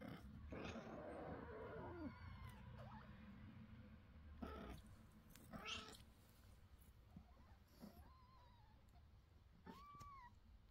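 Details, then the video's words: Mother cat calling her kitten, which runs away from her and refuses to eat: scattered rustling and thumps, then two clear drawn-out meows that rise and then fall, late in the recording. "Мама кошка зовет котенка"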